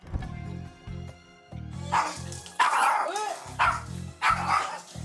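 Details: A five-year-old long-haired Chihuahua mix that treats every non-family stranger as an enemy barks at a visiting stranger. It gives sharp, high, yappy barks in quick bursts over background music.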